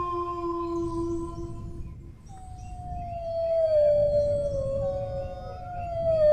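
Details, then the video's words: A dog's howl holds level, then stops. A second, drawn-out howl wavers and sinks slowly in pitch before rising again at the end. Low-pitched background noise is present throughout. "howling dog sounds, relax for sleep (เสียงหมาหอน)"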